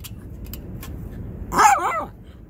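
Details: A single Shih Tzu bark, a short sharp burst with a rising-then-falling tone, preceded by faint clicking and low background hiss.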